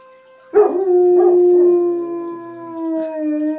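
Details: Two German Shepherds howl at a tornado siren: a long sustained tone that begins with a harsh burst and slowly sinks in pitch.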